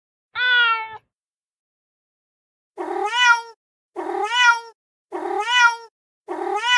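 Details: A real street cat, fed on a terrace, gives one short meow. After a pause come four quick meows that bend upward at the end, described as angry, with no background noise.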